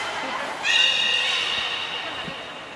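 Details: Beluga call during a training session for the belugas Taanya, Nana, Mirai and Niko at Port of Nagoya Public Aquarium on 11 July 2020: a sustained, reedy, whinny-like tone with bright overtones begins suddenly and slowly fades over two seconds.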